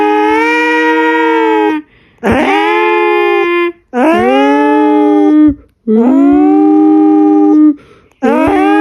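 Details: Drawn-out howls from Jinjin, the pet cat: each wail starts with a quick upward sweep, then holds a steady, harmonic-rich tone for one to two seconds, repeated five times with brief pauses.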